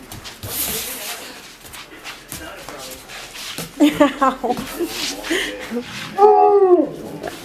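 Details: Alaskan Malamute puppies on the first day of spring, after a long dry-ish winter, make drawn-out, wavering 'woo' sounds that rise and fall like chatty speech, as if "talking" about the snow.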